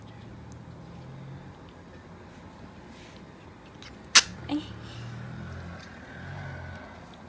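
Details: Choco, a small female sable ferret kept indoors with a male companion, sneezing repeatedly during play: one sharp, explosive burst followed by a softer second sneeze, over steady low room hum.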